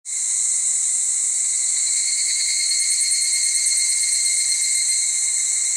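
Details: A male evening cicada sings around 5 pm on a muggy summer evening on the Aodani trail of Mt. Maya, Japan: a loud, ringing, metallic tone that holds steady with a faint rapid pulsing.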